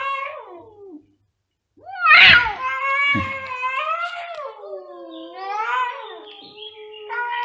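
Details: Two cats in a loud meowing exchange: a short falling meow, a pause, then a harsh burst leading into long wavering yowls that rise and dip, with brief rustles in between.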